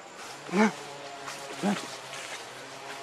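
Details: Baby macaque named Leo crying and begging its mother for milk: two short, arched, harmonic wails about a second apart, the second shorter and softer, over a steady background hiss.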